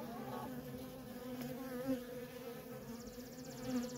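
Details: Continuous buzzing drone from worker honey bees streaming in and out of a feral colony, a steady low hum with brief louder passes of individual bees close by.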